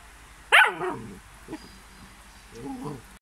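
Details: Belgian Malinois puppy giving one sharp, high yelp that drops quickly in pitch, followed by a couple of softer, lower whining sounds; quiet background.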